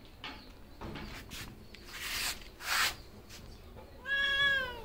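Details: A cat gives a single drawn-out meow near the end, falling slightly in pitch with rich harmonics, after several short broadband rustling and knocking bursts.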